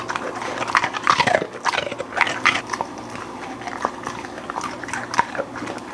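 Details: Golden Retriever eating a meal of beef lung, chicken breast, thin-sliced steak, duck heads, flying fish and freeze-dried food: wet crunching and chewing with sharp bites and smacking, irregular throughout, indoors.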